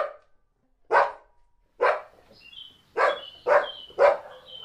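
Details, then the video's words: Barking dog while a second dog stays quiet: six harsh barks, coming quicker toward the end, with faint high whistling tones in between. "Dog 🐕 is sitting quietly and the other dog is Barking"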